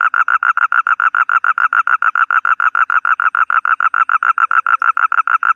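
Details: A toad gives a steady, loud trill of evenly spaced pulses, about six each second, unbroken throughout, with no other sounds.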